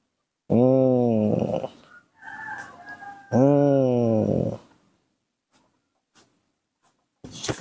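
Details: Nomi, a baby monkey, protests being hugged with two long, level moaning wails a few seconds apart, a softer muttering sound between them, then scattered small clicks and a burst of noise in a small indoor room.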